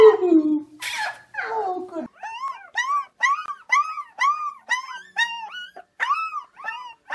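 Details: Puppy giving a quick run of short, arched whimpering yelps after a couple of longer falling cries, with a brief noisy burst near the start.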